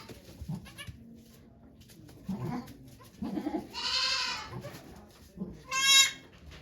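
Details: The goat Okayu is giving birth to two kids at Yoshigake farm in Japan on 3 May 2023. Two short, quavering bleats break through muffled talking and shuffling sounds from the volunteers watching.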